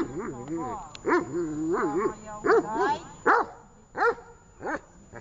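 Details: A dog named Tash during a training session in Horlivka on 18 August 2019. It gives tonal, rising-and-falling barks about once every second, with a voice heard between them.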